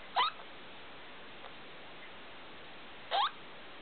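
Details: Felica, a pet degu, calling at 2 o'clock at night under the big room light: two short sharp rising chirps about three seconds apart, with a faint click between, over low room hiss.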